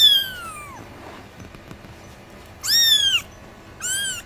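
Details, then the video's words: Small cats meowing: one long, falling mew, then a pause and two shorter, bright, arched mews. "small cats making sound"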